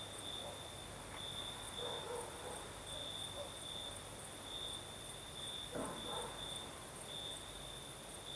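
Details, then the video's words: Crimean night crickets, south coast, with a night breeze: a shrill trill pulsing steadily from start to finish, a higher continuous hiss behind it, one faint soft sound around two seconds and a brief sharp click near the sixth second. "Сверчки поют"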